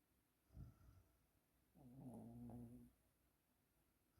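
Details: Sleeping Yorkshire Terrier snoring: a short snort, then about a second of drawn-out, droning, nasal tone with layered harmonics, then quiet breathing in a still room.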